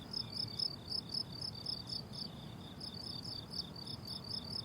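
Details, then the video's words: Steady high cricket chirps from a blooming summer meadow, short pulsed bursts repeating roughly twice a second with overlapping callers, louder at the start, above a gentle low background hum. "Relaxing Cricket Sounds on a Summer Meadow"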